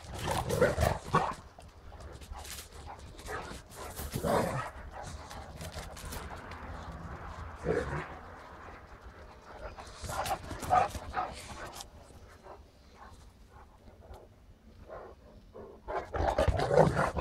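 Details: Great Danes Ole and Oline: scattered short barks and whines at irregular intervals, with louder bursts near the start and end and quieter muffled noises between them.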